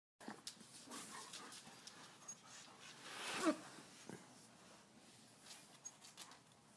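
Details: A husky puppy panting softly, quick breathy huffs with a faint whimper, a louder burst of breath near the middle, then quieter rhythmic panting to the end.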